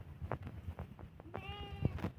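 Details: Garole sheep on a farm where they are kept and sold: one short, clear, tonal bleat with a wavering pitch lasting about half a second, over a low background rumble and soft knocks.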